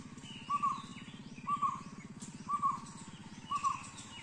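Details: Indian giant squirrel, locally Shekaru, at Triveni Point on the Gureghar Natural Trail, Panchgani Mahabaleshwar, Western Ghats, Maharashtra, India: four short, clipped double notes at mid pitch, spaced about a second apart, over a steady low hum and faint distant birds.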